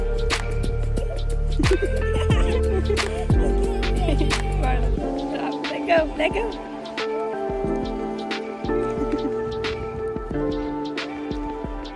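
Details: Soft instrumental music with sustained tones and dripping, plucked accents plays throughout, joined by a little speech.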